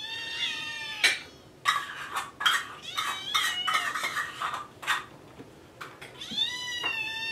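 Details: Kittens Jugg, Anita and Ru meowing for food in the morning: overlapping high, harmonic meows, some rising and others falling, broken up by the clatter of dishes and cutlery.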